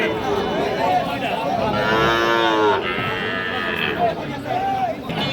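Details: Sahiwal calves suited to farming, offered for sale at the Ambari Hat livestock market in Dinajpur district; one drawn-out, harmonic moo rises mid-clip, with shorter bleating calls around it, over crowd chatter and men haggling over prices.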